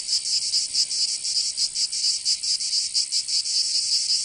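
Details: Cicadas singing in summer in Provence, southern France: a loud, high, dry buzzing chorus that throbs in quick, even pulses, several each second, with no other sounds.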